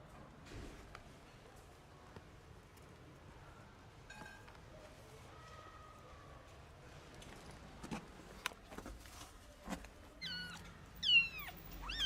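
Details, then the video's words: Stray kitten, about 45 days old, one of two with inflamed eyes and not yet able to walk, gives a short run of thin, high, arching meows near the end, after quiet rustling and handling noises. "Το γατάκι νιαουρίζει και μου ραγίζει την καρδιά."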